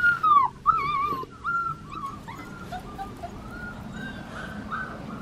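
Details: Black tri female Australian Shepherd puppy, of Henryetta and Dublin, at Fifteen Acre Farms in Oklahoma, gives high, whistled whimpers that waver and slide downward, loud at first and then fading into softer repeated whines over a low background rumble.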